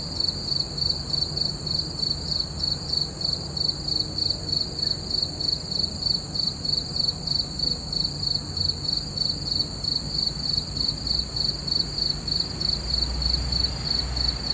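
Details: Full-moon nighttime crickets keeping up a shrill, high, evenly pulsed chirping throughout, quick regular beats with a quiet low-frequency hum behind.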